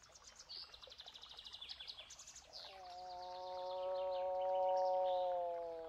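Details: Moose call rising into a sustained, even moan of several seconds after a stretch of rapid bird chirping, the chirps continuing faintly over the low, droning call.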